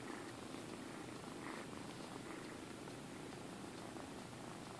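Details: Rescued kitten Minkie from High Plateau Humane Society, Alturas, California, purring on request for the camera; a continuous quiet rumbling purr holds even and unbroken for several seconds in a small indoor room.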